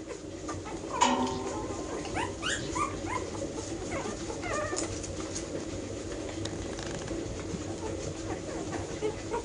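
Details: Ten-week-old Airedale Terrier puppies from a 2016 K litter give short, high whimpering yelps with quick rising and falling sweeps, clustered in the first three seconds, over a steady low indoor hum.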